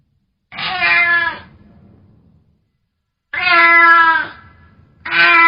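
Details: Domestic cat giving three short, bright meows, the first two separated by a long pause and the last following quickly, over a faint low rumble.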